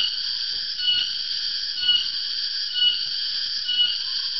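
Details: A cicada, called tonggeret or garengpung in Central and East Java, gives a steady, shrill buzzing drone in the afternoon that swells slightly about once a second; its calling usually signals the dry season's arrival.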